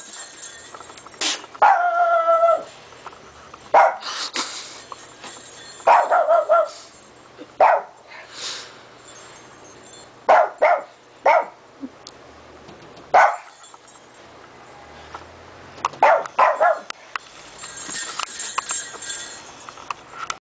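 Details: Two small dogs, a Japanese Chin and a Chin–Shih Tzu cross from Vancouver, playing in snow they are not used to; sharp scattered barks and a tonal whining yelp, separated by quiet stretches of wind and rustling.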